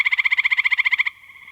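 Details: A male gray tree frog sitting on a tree in a marsh on a June night calls with its vocal sac, a fast, musical trill of rapid pulses lasting about a second.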